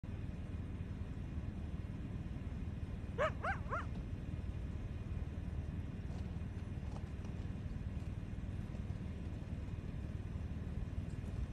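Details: Wild coyote in Wyoming challenging another coyote: three quick, rising, yelping notes in a short burst, followed by steady low wind-like rumble.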